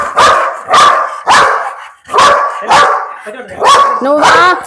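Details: Belgian Malinois dog giving a fast run of about six sharp, loud barks roughly half a second apart, the last ones turning into higher, wavering yelps with a whining edge.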